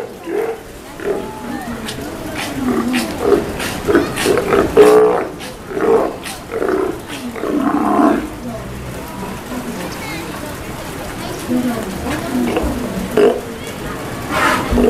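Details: Steller sea lions (Eumetopias jubatus) at feeding time at Kamogawa Sea World, Japan, 2 January 2017, give deep, throaty roars and growls in repeated bursts, with people talking nearby.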